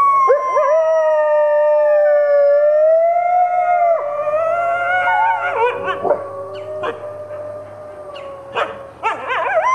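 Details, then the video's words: Four captive red wolves, including two 9-month-old pups, howl at a wolf conservation centre in South Salem, NY, joined by Arctic and Mexican gray wolves; long wavering overlapping tones break into yips and short yodelling barks. "Red Wolf Pack Howling"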